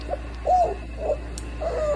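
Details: Dog whimpering in a home setting where a Cane Corso and a French Bulldog lie together; short, high, whiny squeaks repeated about four times over two seconds, each bending slightly in pitch, over a steady low hum.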